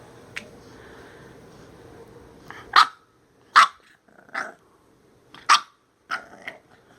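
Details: Minka, a female bulldog, throwing a temper tantrum because she dislikes her new shirt indoors; a run of sharp, barking yelps in irregular bursts, about five loud outbursts after a quiet start.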